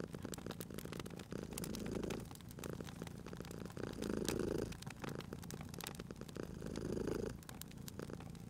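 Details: Sleeping domestic cat purring by a crackling fireplace in a cozy spring setting: a low steady rumble swelling in long breaths about every two and a half seconds, with sharp fire crackles and pops throughout.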